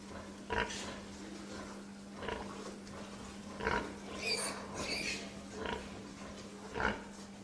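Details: Pig producing scattered low grunts with a couple of higher, squeakier notes midway, spaced unevenly over several seconds, a steady hum in the background.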